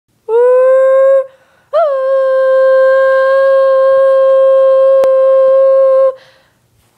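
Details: Onyx, a pet dog, indoors: two long, steady, level howls, the first about a second, the second held for over four seconds after a brief upward swoop, with rich overtones and a short pause between.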